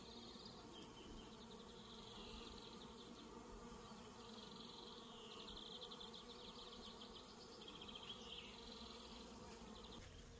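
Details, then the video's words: Bees buzzing around an orchard in New Zealand while the cat Reg hangs out among them; a steady low hum runs throughout, overlaid by brighter wavering insect buzzing and rapid ticking pulses higher up. "Reg hanging out with bees"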